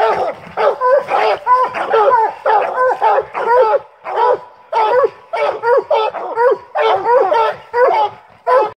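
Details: Treeing Walker Coonhounds on a coon hunt, three dogs together, bark in rapid, choppy, ringing bursts at about ninety per minute, overlapping and uneven, some notes bending up and down in pitch.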